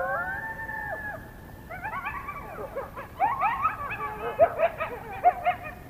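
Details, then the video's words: Coyotes calling at night near the North Nest on February 21, 2022: a long, steady howl falls away, then a burst of quick, rising and falling yips and barks from several animals grows louder. "Coyote Chorus at the North Nest"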